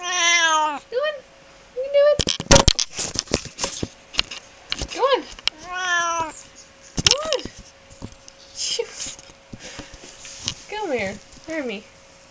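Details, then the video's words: Indoor pet cat Hermy gives drawn-out harmonic meows, some wavering and falling, between bursts of clattering thumps and a person's voice. "Hermy talks"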